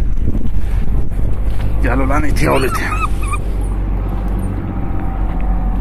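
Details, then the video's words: Street puppies, met by chance on a road and played with, give a short burst of high, wavering whines with harmonics for about a second. A man speaks nearby over low wind and traffic rumble. "Köpek yavruları sesleri sokak köpeği yavruları ile oyun oynadik yavru köpek sesleri"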